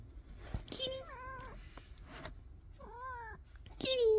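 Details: Domestic cat meowing indoors: two drawn-out, arching meows rise and fall about two seconds apart, with a person talking softly over and between them and sharp clicks near the end.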